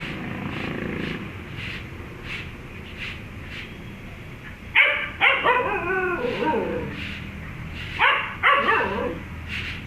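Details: Dog named Hunter meeting a cat, giving a few sharp barks and yips in the second half after a quieter stretch with faint repeated taps.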